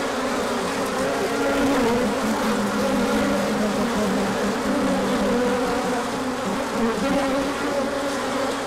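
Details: Honeybees on a large orientation flight on 24 March 2024, emerging when the sun came out after colder weather, with pollen coming in afterwards. A dense, steady hum of many wings, layered droning tones wavering slightly, continuous throughout.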